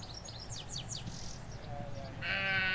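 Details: Sheep in a Hampshire countryside field, where ewes graze with their lambs, captured on stereo M5s mics by a hedge: high birdsong twitters first, then a single loud, buzzy bleat rising at the end over distant low noise.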